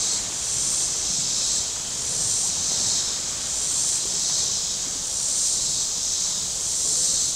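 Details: On a hot Saturday at Table Rock Lake, southern Missouri, shoreline cicadas give a continuous shrill buzz pulsing in regular surges roughly every second and a half, over a soft low hum of distant boats.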